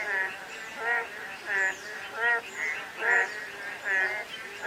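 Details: Light drizzle falls while frogs croak, each call a short reedy, ringing note recurring roughly every half second from more than one animal, with a constant hiss of rain and a few faint high whistled notes.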